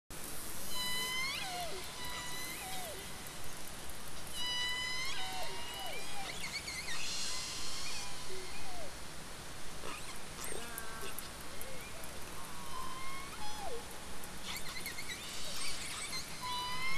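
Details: Southern resident killer whales recorded by a hydrophone in the Strait of Georgia in July 2020, during the quiet COVID-19 slowdown and a passing vessel, trade squealing, mewing pulsed calls that sweep up or down, over a heavy low underwater rumble.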